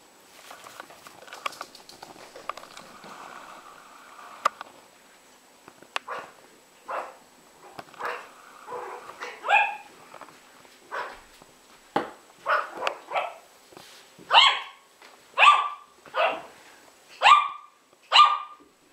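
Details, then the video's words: Yorkshire Terriers Jessi and Megi at play, a burst of high yappy barks that quickens toward the end, sharp yips coming about once a second, with growly scuffling noises between them early on. "Yorkshire terier - hra Jessi a Megi"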